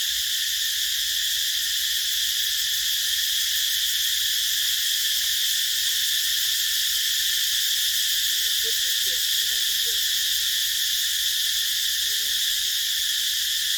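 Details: Cicadas in a rubber plantation: a dense, unbroken high buzzing drone that holds steady throughout, with stacked bright bands. Faint low warbling notes from another creature surface briefly toward the end.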